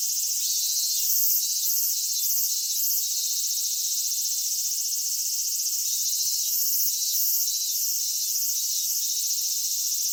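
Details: Cicadas in a Japanese summer at Michinoku Folk Village and Kitakami Tenshochi, Kitakami, Japan, where minminzemi sing by day and higurashi at dusk. A dense, steady high shrilling is cut by repeated pulsed bursts in short groups.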